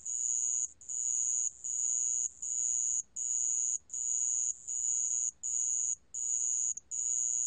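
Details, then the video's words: Sand cricket from a 2020 recording by Korea's National Institute of Biological Resources: a high, shrill trill broken into long bursts of about half a second, separated by brief gaps, roughly ten bursts in seven seconds, with steady faint background hiss. "모래방울벌레, 여러번 듣기, 곤충소리"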